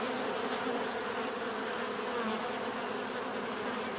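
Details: Bees humming together in a thick, unbroken buzz, several droning tones stacked over soft background hiss.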